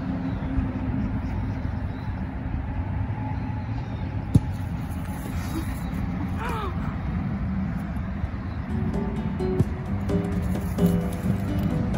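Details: Background music over a low engine and traffic rumble outdoors, with scattered voices and a few sharp knocks, no barking or other animal sound.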